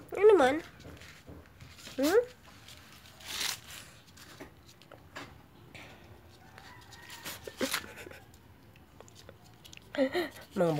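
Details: Labrador and Japanese Spitz mix puppies in a small room give short high whines with rising-falling harmonics at the start, around two seconds and again near the end, mixed with clicks and brief noise bursts.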